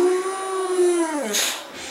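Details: Riley, a female Boxer trained to howl on command, gives the University of New Mexico Lobo howl: a steady, harmonic howl lasting about a second that then slides down in pitch, ending in a short noisy burst.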